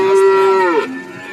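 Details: Cattle at the Warujayeng livestock market in Nganjuk: one loud, steady, nasal moo held about three-quarters of a second, then dropping sharply in pitch and fading out.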